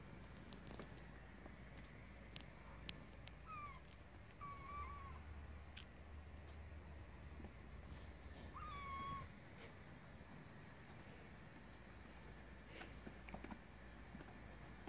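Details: Kitten meowing indoors: a few high, thin meows around the middle, each sliding down then holding level, with soft taps and a constant low hum throughout.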